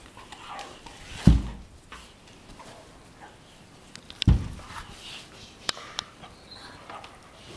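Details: Morning play fight between Weimaraner sisters Jila and Faith from Cyprus on a bed: low grumbling growls and two heavy thumps of bodies landing, plus snuffling and rustling between them.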